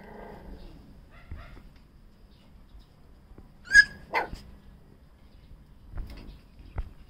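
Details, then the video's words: A cute puppy barks: after a quiet stretch of soft murmurs come two sharp, high yelps in quick succession, followed by faint knocks and rustling. "cute puppy barking"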